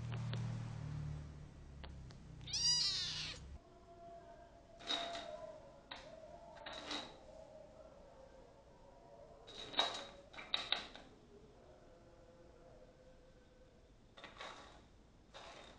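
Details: Kitten ten days after adoption, indoors, giving a few soft, short meows at irregular intervals amid rustling and knocking household noises.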